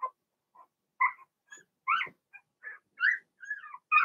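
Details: A Blenheim Cavalier King Charles Spaniel puppy from Remy's first litter whines in a home puppy pen: uneven high squeals and yelps, some sliding downward, with short gaps between cries.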